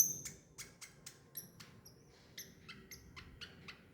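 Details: Baby squirrel giving a rapid series of short, sharp squeaks and clicks, roughly three to four per second with small gaps, over a faint low background hum.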